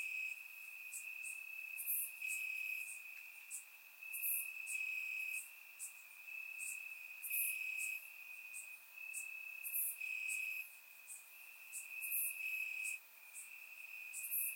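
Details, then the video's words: Grass crickets on a summer night in Bulgaria keep up a dense, even high trill, pulsing in volume, overlaid by frequent bright, very high chirps roughly every two seconds. "Cricket Sounds - Crickets Chirping at Night"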